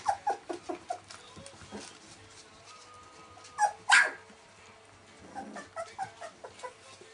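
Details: Welsh Springer Spaniel puppies, 19 days old, giving a run of short high squeaky whimpers, then a louder rising yelp near the middle and further soft squeals toward the end.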